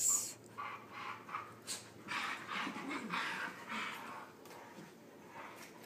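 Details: During rough play, a Husky pup and a companion dog trade breathy, growling huffs in a cluster of bursts, fading toward the end, while someone nearby reassures that they are only playing.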